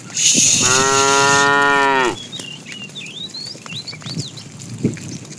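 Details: A tame cow roaming the road looking for food lets out one loud, sustained moo lasting about one and a half seconds, rich and harmonic with a slight falling end, followed by small birds chirping nearby.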